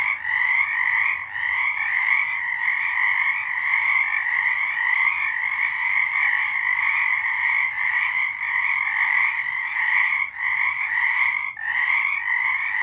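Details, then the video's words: Frogs singing at night in March 2023, a dense continuous chorus of many overlapping trilling croaks forming a steady pulsing wall of sound, with brief dips near ten and eleven and a half seconds; no other sounds stand out. "Frogs singing"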